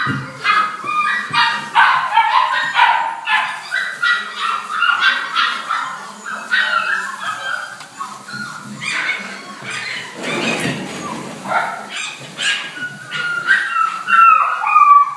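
A Rottweiler gives a rapid run of high, tonal whines and yelps, often with falling pitch.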